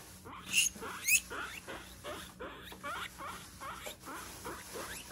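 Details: A pet guinea pig, excited as vegetables come out of the fridge, gives two sharp, high squeaks, then chews Chinese cabbage with rapid crunchy sounds and smaller squeaks.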